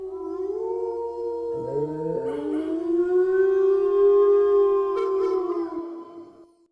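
Wolves howling, long smooth tones that hold steady and then slowly fall, with voices overlapping.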